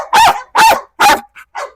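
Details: Trained female dog on a leash, provoked during a biting challenge, gives three loud harsh barks about half a second apart, then two fainter short sounds.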